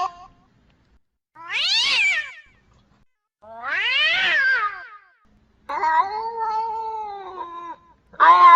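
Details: Cat; mating call; female in heat calling for a mate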